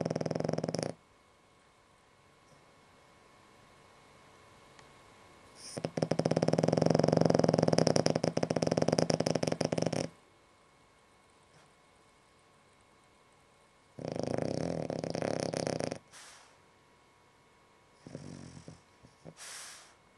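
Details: Snores from Ešli, a sleeping pet dog, heard inside a small room: several coarse, buzzing breaths of varying length, one loud four-second rattle in the middle, with quiet gaps and softer snorts toward the end.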